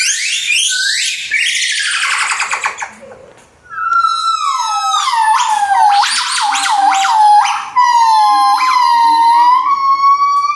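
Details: Golden-cheeked gibbon calling: a loud series of rising whooping notes, then sustained, sliding tones rich in overtones, broken by a brief pause before the sliding notes resume and continue steadily to the end.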